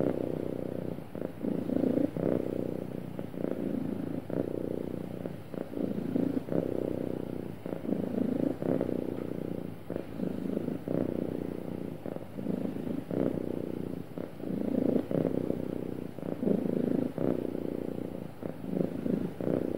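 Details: Smooth purring from a happy pet cat, a long even rumble with regular swelling pulses every one to two seconds as it breathes, sustained throughout without pauses or other noises.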